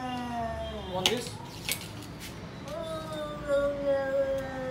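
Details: Lion cat and tall cat squabble over food as one steals from the other: sustained tonal yowling, a falling call, then a long even one, broken by sharp clinks like dishes.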